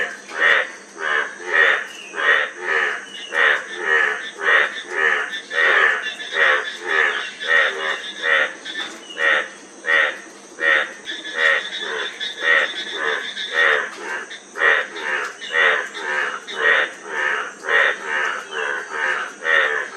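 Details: Dense frog chorus of rapid, rasping croaks pulsing almost continuously, sometimes overlapping, against a persistent high insect drone.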